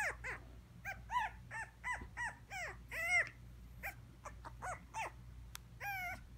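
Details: Small teddy-bear teacup Maltipoo uttering rapid, high-pitched whiny yelps in quick succession, each a short bent squeal, with a couple of sharp clicks and a constant low hum underneath.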